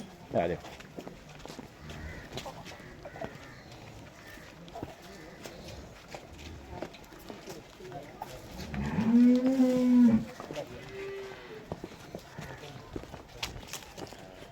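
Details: Friesian cow offered for sale in Pakistan, recorded 6 May 2024: one low, steady moo lasting about a second near the end, with faint background murmur and soft clatter before and after.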